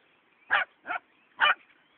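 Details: Fox terrier barking while chasing and trying to herd sheep: three sharp, high barks about half a second apart, the middle one softer, with a faint whine between them.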